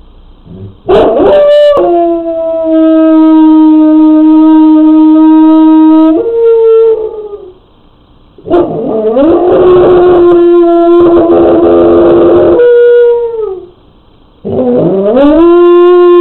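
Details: Domestic hound dog left alone at home, captured on a pet camera while the owners were away, before settling in for a nap: three long, steady, tonal howls, each several seconds, ending with a falling tail, separated by short quiet gaps.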